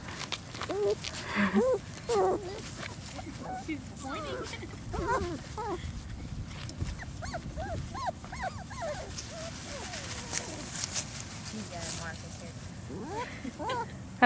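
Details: Four-week-old German Shorthaired Pointer puppies, a litter on their first trip outdoors, give a steady stream of short, high, arched whimpers and squeaks, several overlapping at once, while women talk to them throughout.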